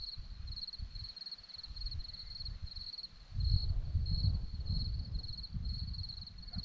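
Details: Romanian hillside at Zorlesti with crickets chirping: a sharp high trill broken into quick even pulses, steady throughout, while a deep gusty rumble grows louder midway.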